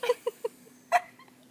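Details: Dog named Frijol or Jody at their first meeting and sniffing introduction: three short high yips in quick succession, then a louder sharp yelp after a pause, with faint softer squeaks trailing off in a quiet room.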